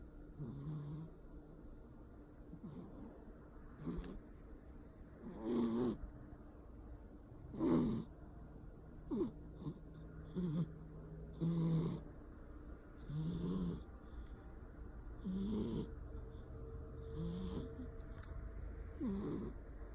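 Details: Persian cat asleep, snoring loudly in an uneven rhythm. Around nine rough, wheezing breaths over twenty seconds mix low buzzy tones with airy hissing, some louder and longer than others.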